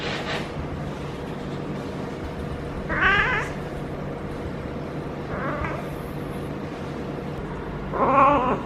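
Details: Feral female cat in her first heat cycle, rolling as she is petted at the base of the tail, lets out three quavering, wobbling yowls about two and a half seconds apart over a constant low hum.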